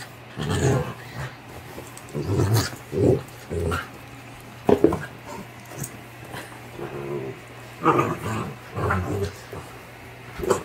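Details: Playful yellow Labrador Retriever puppy grunting happily while playing: low, rough, throaty bursts in short clusters, roughly one to two seconds apart, over a steady faint indoor hum.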